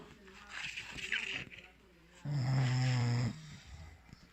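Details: Valentino the English Bulldog asleep; soft murmuring sounds at first, then one loud, steady, low buzzing snore lasting about a second.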